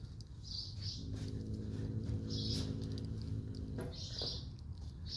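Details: Nursing mother cat with her kittens, giving a continuous low rumble that swells and fades across a few seconds, broken by several short high-pitched squeaks.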